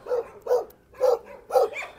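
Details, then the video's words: Mixed-breed dog in a dog shelter, looking at other dogs; four short, mid-pitched barks in two seconds, evenly spaced with brief pauses between them. "DOG REQUESTS CUDDLES"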